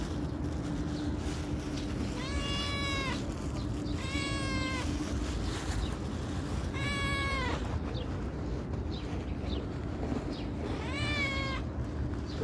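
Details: Calico cat that comes when called, giving four drawn-out, clear meows, each about a second long with a slight rise then fall, spaced two to four seconds apart over a steady low hum and background noise.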